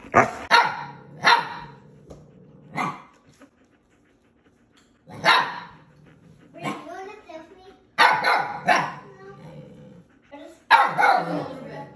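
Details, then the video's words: Eight-week-old Siberian Husky puppy yelling at his six-year-old husky brother to come play: loud broadband barks and yowling howl-like calls in uneven bursts, some with wavering pitch, separated by short quiet gaps. "puppy dog YELLS AT BIG BROTHER! Huskies arguing is so funny!"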